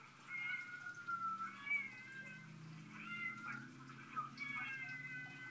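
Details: Drama queen domestic cats meowing in a quick series of about five plaintive, bending meows, one after another, over a low steady hum.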